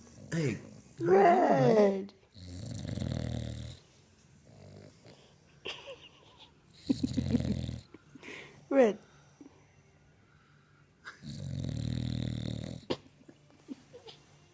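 An English Bulldog snores in rough, rattling bursts, with quiet Spanish speech nearby.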